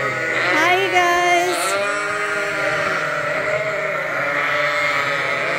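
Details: A crowd of unfed lambs bleats loudly in a noisy farm barn at Ewetopia Farms while waiting to be topped up from a hand-made bottle feeder. Quavering, overlapping cries pile into a steady chorus.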